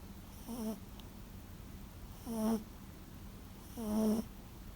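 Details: A sleeping Toy Poodle, a former rescue dog, snoring loudly like an old man indoors; three rasping snores with a low rumbling tone, each lasting about half a second, spaced roughly every one and a half to two seconds.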